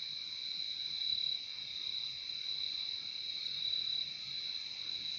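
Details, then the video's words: Continuous high cricket trill, layered and ringing, holding steady with gentle swells in volume and no other distinct sounds. "Relaxing sound of crickets"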